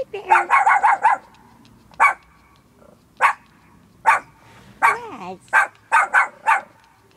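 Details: Small fluffy pet dog giving quick bursts of sharp, high barks: a rapid run of four or five yips, then single barks spaced about a second apart, with one whining note in between.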